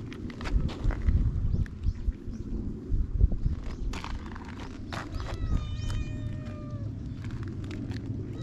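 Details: Stray cat on Japan's cat island, captured on a GoPro HERO8: one drawn-out, descending harmonic meow in the second half, with footsteps, scuffing and soft voices around it.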